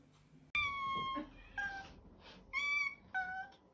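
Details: Domestic cat with an attitude problem, giving a run of short tonal meows, each under a second, bright and slightly falling, separated by brief pauses, in a quiet indoor room.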